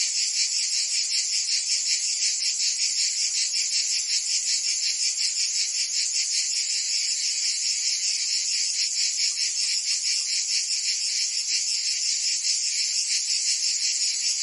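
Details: Cicadas singing in summer in Provence, France: a dense, continuous high buzzing chorus with rapid pulsing, about two to three throbs per second, steady loudness and no other sounds.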